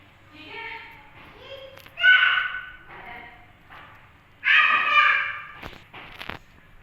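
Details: Hungry female rescue kitten drinking milk from a bottle and making funny sounds: two loud, harmonic, wavering cries a couple of seconds apart, with softer murmuring calls between them and a few sharp indoor knocks and thuds.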